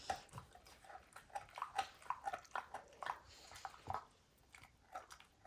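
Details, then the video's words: A dog named Max tears apart a baseball's hide indoors, biting steadily: a fast series of crisp clicking crunches, roughly two a second, with brief quiet gaps, in a small quiet room. "DOG CHEWING"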